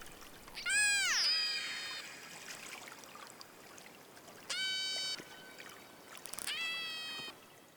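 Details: Killer whale calls recorded underwater by hydrophone, from an acoustic clan other than that of the Moloko, Drkin and Hookie families: harsh, harmonic pulsed cries, one sliding downward, then two flatter, steadier calls.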